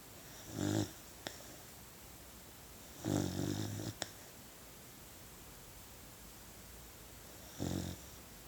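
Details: Puppy asleep and snoring, three drawn-out raspy low snores spaced several seconds apart, each lasting under half a second, with a couple of faint clicks in a quiet room.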